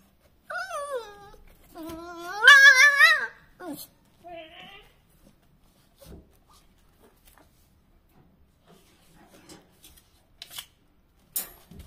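A beagle puppy gives a few short, wavering howls that rise and fall, then falls mostly quiet.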